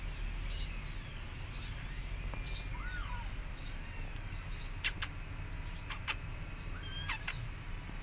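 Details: Scared rescued feral kittens, now hissing and spitting less: faint thin mews sliding up and down, a few short sharp noisy bursts near the middle and end, over a constant low background hum.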